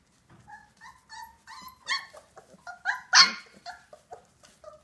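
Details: Old English Sheepdog puppies from a 2018 litter giving a run of short, high, thin yips and whimpers, about two to three a second, building to one louder sharp squeal near the middle before tapering off into softer whines.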